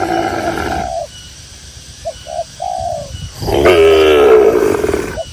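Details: Tame cattle out to graze in a green rural pasture; one long, full moo rises and falls near the end after a stretch of quiet, with short soft coos earlier and faint background rustle.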